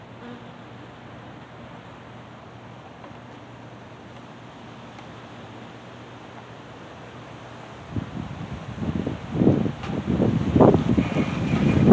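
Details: A steady low background hum gives way to gusty wind and rumbling noise, with no clear animal sound. The later bursts are rough and broadband, like wind buffeting the microphone.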